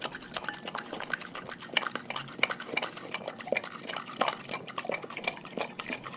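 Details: Dogs from a pack chew raw food, a dense run of crisp crunching and wet slurping clicks coming several times a second without pause.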